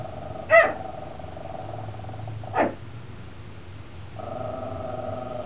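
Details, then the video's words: Indoor barking by Vespa, a chihuahua at a bay window threatening the school bus crowd, with a second dog, Tucker, also barking; two short barks about two seconds apart, then a steady low hum fades in. "Ferocious Chihuahua Vespa Threatens Crowd"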